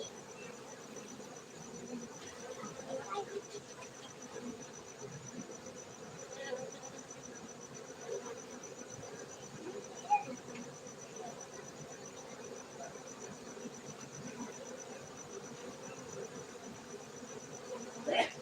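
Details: Cultivated honey bees in Bener Meriah, Aceh, Indonesia, humming in a low, even drone throughout, broken by occasional light clicks and a few brief louder bumps.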